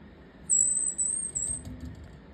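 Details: A pet Richardson's ground squirrel (Urocitellus richardsonii) gives one thin, very high whistle call, held steady for about a second.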